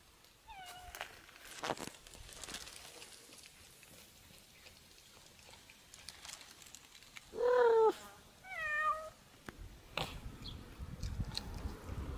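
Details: Domestic cat eating a snake, giving a short meow early on and two louder, drawn-out wavering meows near the end, amid scattered rustling, clicks and handling noises indoors.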